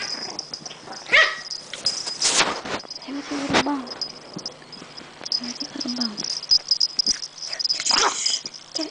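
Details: Buffy, an energetic Chihuahua puppy, is indoors at 12:30 at night near her favourite spot under a chair. She gives a few sharp, irregular barks and soft whimpers over a steady high-pitched background tone, with a person calling her.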